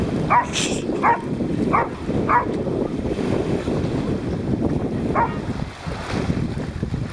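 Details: Dog on an off-leash beach barking at another dog named Grundy: four sharp barks in quick succession, then a single bark after a pause, over steady surf and wind noise.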